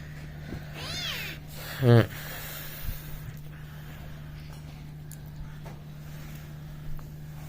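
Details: Playful domestic cat making mischief with a child: one short arching meow early on, followed by a sharp, loud rising voice-like sound, then quiet with a steady low hum and soft background noises.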